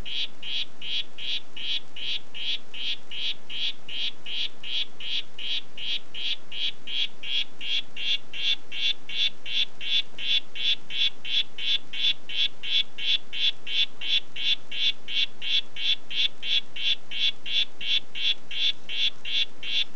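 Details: "Red Head" poison dart frog, Oophaga histrionica, producing a continuous run of rapid buzzy pulses near three per second, growing slightly louder midway, with no other sounds.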